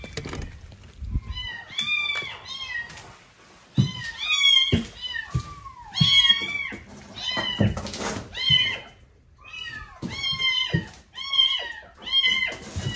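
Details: Frightened male kitten, later named Mugi, crying from inside the wall of a neighbouring empty house slated for demolition; a steady run of loud, high, arching meows, often in quick pairs, roughly every second, with thumps between.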